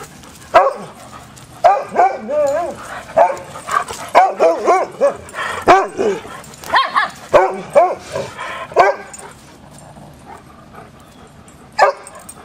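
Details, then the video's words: Hounds at play produce a burst of quick, wavering yelps and barks in the middle stretch, framed by quieter moments and a few isolated sharp barks near the start and end. "DOGS AT PLAY"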